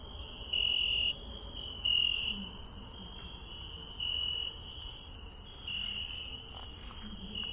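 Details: Garden cricket at night giving brief, high, clear chirp bursts about every one and a half seconds, over constant low hiss and faint rustling.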